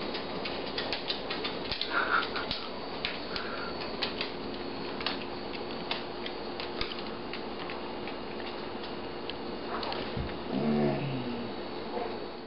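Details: Nuala, a pet dog, jingles the tags she carries in her mouth while trotting around the kitchen in her 'Prancing Pony' routine, then lies down on her rug and lets out a low, drawn-out contented moan near the end. Steady metallic clinking and a fan-like hum run throughout.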